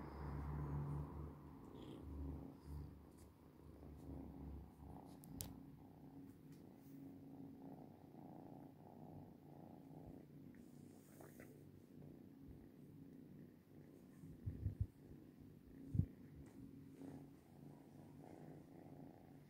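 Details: Cat purring, the low rumble strongest at first and then softer, with scattered clicks and small knocks nearby.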